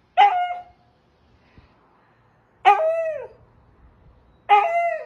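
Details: Husky giving three short howls about two seconds apart, each starting high and sliding down into a brief wavering tail, with quiet gaps between.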